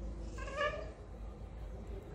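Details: Hungry stray cat arriving for food gives a single short, tonal meow that swells and fades within half a second, over a steady low background hum.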